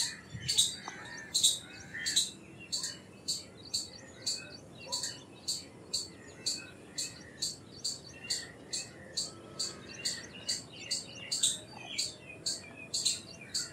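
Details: Long unbroken run of piercing chips from an Indian palm squirrel, evenly paced at about two per second, some notes louder than others, with faint chirps and hiss underneath.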